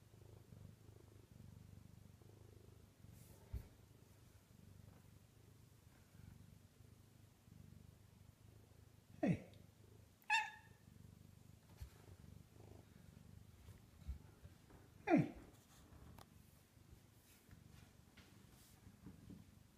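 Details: Bengal cat resisting bedtime, up on the kitchen cabinets indoors at night: a low purr hums beneath, fading in the second half, with several short sharp chirps and clicks scattered across the recording.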